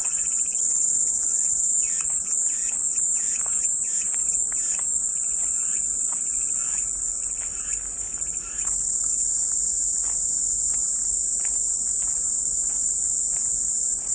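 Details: Relentless high, hissing cicada drone, pulsing slightly for the first eight seconds and then running perfectly even, laid over a soft bed of faint lower chirping notes, offered as soothing white noise.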